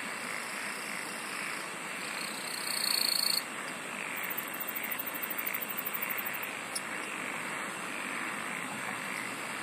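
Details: A continuous high-pitched insect chorus hums over a broad hiss. A brief, louder, very high buzz rises near three seconds, then a rapid pulsed trill ticks from about four to six and a half seconds.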